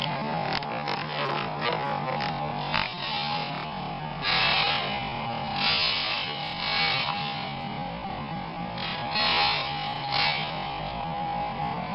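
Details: Steady hiss and a low electrical hum with brief noisy bursts; no clear animal voice. Only mechanical noise is audible.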